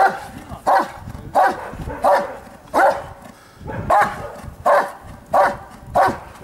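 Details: Giant Schnauzer named Blackmoore Dark Devil at Lübben: nine loud, evenly spaced barks, roughly one every 0.7 seconds, each a short mid-pitched bark with rough harmonics, over faint background noise.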